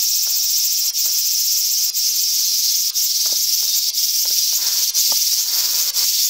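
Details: Japanese large brown cicada giving a steady, harsh frying drone that never stops, briefly faltering about every second, with some faint clicks in the background.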